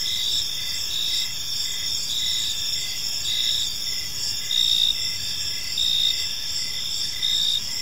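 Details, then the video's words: Gentle chirping of crickets during an evening in a park, a steady high trill with a distinct chirp pulsing about once per second, several callers overlapping, light low-frequency ambience underneath. "Cricket Sounds in a Peaceful Park"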